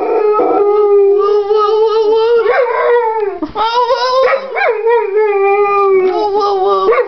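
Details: Pit bull–boxer mix howling as if singing the blues like a hound dog; a sustained, wavering mid-pitched howl with rich overtones, short upward yelps and brief catches in the voice.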